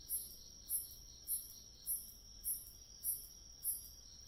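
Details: Grass insects singing in autumn, one constant thin high trill beneath brighter, shrill chirps pulsing regularly roughly every 0.6 seconds, eight chirps heard; quiet otherwise.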